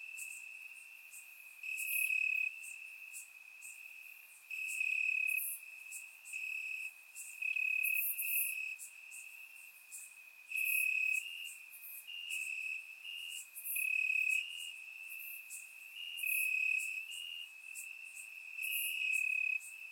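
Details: Crickets chirping in grass on a warm summer night in Bulgaria, recorded with a surround microphone: a steady high trill band with louder pulsing bursts swelling roughly every one to two seconds, dense overlapping insect chorus.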